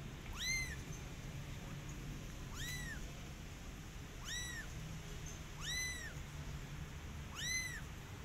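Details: Young kitten meowing to call its mother: five clear, high, arched meows spaced roughly every one and a half to two seconds, each rising then dropping, against a quiet low hum.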